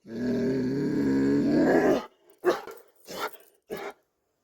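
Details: Dobermann holding a deep, rumbling growl for about two seconds, then breaking into three short, clipped barks spaced roughly half a second apart.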